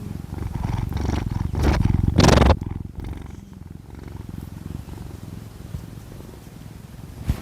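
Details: Domestic cat Kkami, the second cat of the household, snoring while asleep: a low, rapid rumbling pulse runs throughout, with two louder breathy rasps early on before the sound settles into a soft, steady rattle.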